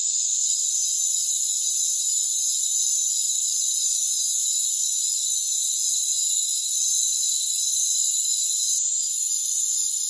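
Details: Rainforest crickets trilling in a dense, steady, high-pitched shrill chorus of layered continuous bands, with a brief dip in loudness near the end and no lower sounds beneath.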